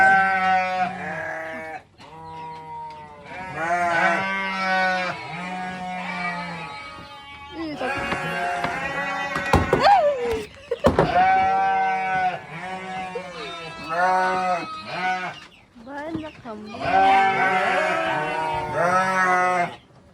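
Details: Many goats, young ones among them, at a goat farm: a dense chorus of overlapping harmonic bleats, some wavering, others steady, with brief gaps between bursts and a few sharp knocks near the middle.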